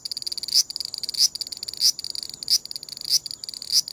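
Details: Rasping 'gii gii' phrases from a large brown cicada, with loud buzzy pulses roughly every 0.6 seconds over a constant high hiss. This is the broken song given while the cicada shifts position. Captured with a compact camera.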